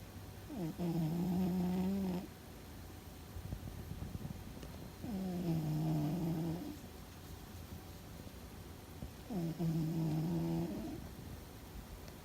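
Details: Fuzzy the domestic cat snores loudly while asleep and apparently dreaming: three long, low, droning breaths of about one and a half seconds each, spaced roughly four seconds apart, with quieter breathing between them.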